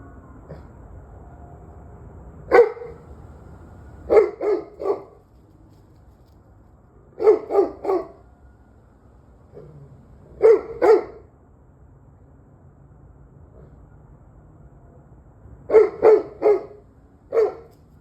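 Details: Dog barking in bursts of two or three sharp barks, groups spaced a couple of seconds apart over about eighteen seconds, recorded on 21 November 2023 at 7:06 pm, with a quiet low background hum.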